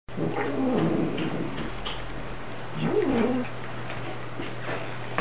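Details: A house cat warning a little black foster kitten to keep his distance gives low rumbling growls with wavering moans, swelling twice over a few seconds; steady hum in background.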